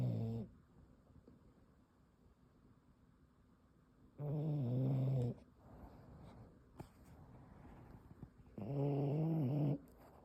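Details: Boston Terrier pup snoozing and snoring, low rumbling buzzy snores lasting about a second each, repeated roughly every four to five seconds with soft breathing and faint clicks between.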